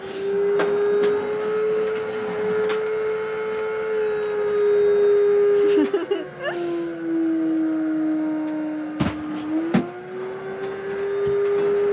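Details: A vacuum cleaner drones steadily indoors, its hum sagging lower from about six to ten seconds before rising again, with scattered clicks and knocks throughout.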